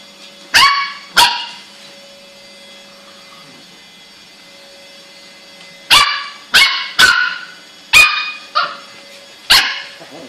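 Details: A Lhasa Apso puppy indoors, near a floor being mopped, gives sharp, high yapping barks, two together and then a quicker run of five.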